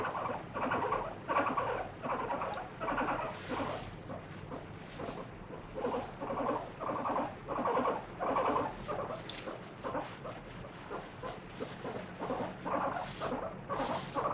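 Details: Free-roaming pet guinea pig Moru-chan squealing in protest while its feet and body are scrubbed with a wet tissue; rhythmic repeated shrieks throughout, mixed with sharp clicks and tissue rustling.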